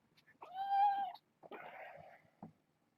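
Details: Domestic kittens from a litter of six, four females and two males born August 29th, at bedtime indoors: one steady, rich, level meow of under a second, then a rougher, noisier mew and a brief closing chirp.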